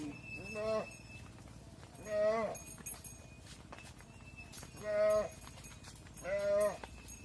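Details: Mother cows entering a barn while their calves stay outside call in short, wavering bawls, four spaced a second or two apart, over a steady mechanical hum.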